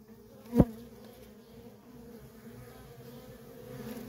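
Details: Worker bees at a feral honey bee colony hum steadily in a low, level drone, interrupted early by a single loud knock or thump, after which the buzzing continues softly and rises slightly at the end.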